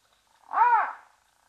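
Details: Brown hyena at Safarihoek Lodge in the arid savannah of northern Namibia, beside Etosha National Park, filmed by a live-stream camera: one short, arched, harmonic whine that rises and falls over half a second, with a quiet background.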